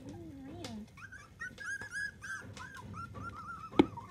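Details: Litter of seven miniature dachshund puppies, between 2 and 25 days old, calling indoors: a lower wavering whine at first, then many high, thin squeaky whimpers, short rising-falling peeps overlapping in quick succession, with a single sharp knock near the end.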